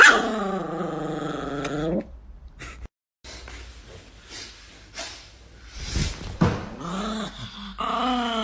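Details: Angry, aggressive pet Chihuahua producing a steady, buzzy, low growl for about two seconds. Quieter growling and snarls follow, with people talking nearby.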